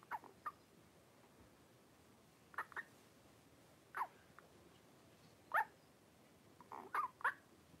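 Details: Five 3-week-old blenheim Cavalier King Charles Spaniel puppies wrestling and playing in an indoor puppy pen; short, high squeaky yelps come at irregular intervals, some singly and some in quick pairs, against a quiet background.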